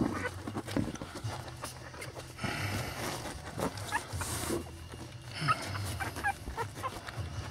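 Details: A litter of eight newborn Lhasa Apso puppies, born on Elvis Presley's birthday, whimper and squeal beside their mother Sweetie Pie. The brief, high cries come in irregular bursts, with rustling and a low background hum.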